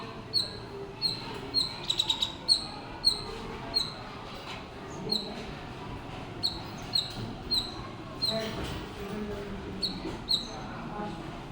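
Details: Squirrel. A squirrel calls with short, high-pitched chirps that fall sharply in pitch, delivered singly or in quick clusters at irregular intervals. A soft low rumble of background noise runs underneath.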